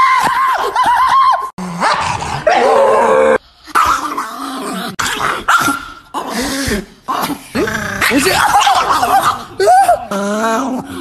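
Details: Agitated Chihuahua giving dense strings of high yips and short barks broken by brief pauses, some notes bending upward, with growling between bursts and a little human voice mixed in.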